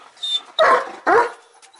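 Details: German Shepherd gives two loud, full barks about half a second apart, preceded by a softer vocal sound.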